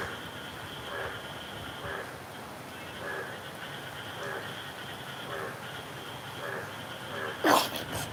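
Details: An Indian bullfrog in Dhaka city calls loudly on a stormy, rainy day, giving hoarse croaks about once a second over a steady hiss of rain.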